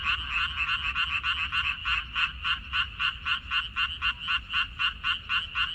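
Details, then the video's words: Frogs in a minari field, Korea, May 2021: a clear series of buzzy, pulsed croaks at nearly four per second, each note rough and nasal, steady in rhythm over soft low background noise. "고향 생각 나게 해주는 개구리 소리, 미나리밭의 그놈들, Croaks of Frogs, Sounds of frogs, Song of frogs"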